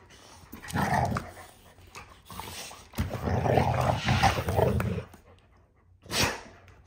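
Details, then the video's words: Several dogs in rough play indoors: a German Shepherd refereeing two 14-month-old Pitbull littermates, with bursts of throaty growling and huffing noise, pauses between, and a short sharp yelp-like burst near the end. "German Shepherd Refs Pitbull Nephews’ Rough Play"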